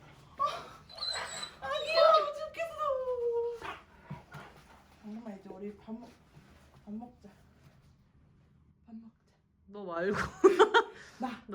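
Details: Dobermann greeting a loved one visiting home after a year apart, indoors; high, drawn-out whines that slide downward, then short whimpers and excited yelps, mixed with a person talking.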